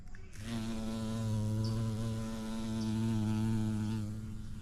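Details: Bumblebee visiting a vibrant yellow orchid, filmed in natural light: a low, steady droning hum with rich overtones that swells and eases slightly, plus two faint high bird chirps in the background.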